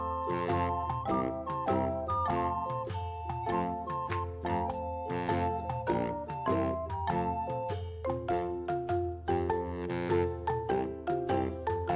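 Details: Cheerful chiming music with bell-like and glockenspiel tones plays in a bouncing rhythm, and no animal is heard.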